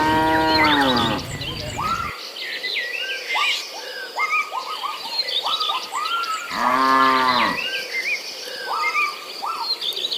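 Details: Village cattle in a herd searching for fresh grass, lowing with two deep, harmonic moos, one at the start and one near seven seconds, over a busy chorus of short, repeated arched chirps from birds or insects.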